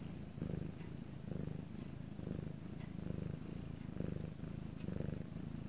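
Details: Purring of the house cat Bangul, captured at quiet nighttime in Korea: a low buzzing drone that swells in breathy bursts, about six within a few seconds, with faint background hiss.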